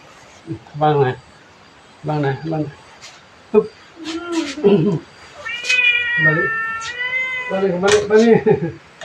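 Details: Small and large cats playing with a senior monk at Wat Pong Chai, Chae Hom, Lampang: a series of drawn-out, wavering meows, some rising then falling, with people talking between and over the calls.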